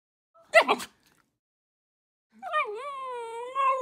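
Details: A red Shiba Inu puppy, born April 2020, gives a short huffing burst, then a drawn-out, wavering tonal whine.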